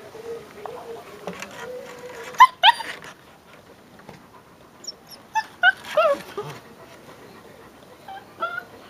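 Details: Five-week-old Leonberger puppies whimper indoors: a steady low whine early on, then short high yelping cries that sweep upward in bursts around the middle, with a person talking softly between them.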